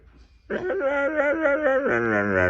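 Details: A Siberian Husky gives an engine-like vocalization, a loud, rich, warbling yowl that wobbles up and down in pitch for about two seconds, then slides into a smoother, steadier tone.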